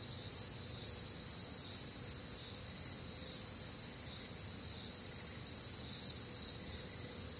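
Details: On a warm, humid summer night in the Midwest, crickets and other nocturnal insects keep up a shrill high chorus, regular chirps pulsing roughly twice a second with occasional louder nearby bursts.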